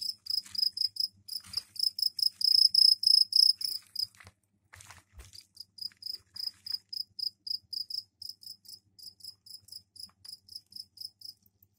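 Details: Captive crickets kept in a container with a soil tray for laying eggs give mating calls indoors: loud, high, pulsed chirps in fast bursts, a short break near the fourth second, then a steady string of evenly spaced chirps.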